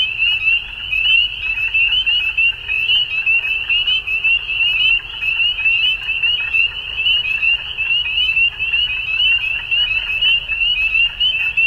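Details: Frogs at dusk in spring, Ontario, Canada, producing an unbroken wall of sharp, high, rising peeps from many individuals, loudness ebbing and swelling, with a low background murmur.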